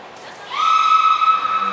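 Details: Belugas Hodoi, Taanya and Mirai in training at Port of Nagoya Public Aquarium, 14 September 2019. One steady, buzzy harmonic tone starts abruptly after a quiet moment and holds at an even pitch to the end.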